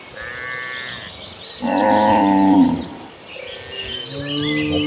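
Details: Late-afternoon herd of cattle on the way to pasture: a single strong, slightly wavering moo of about a second, with a faint call before it and birds chirping in the background.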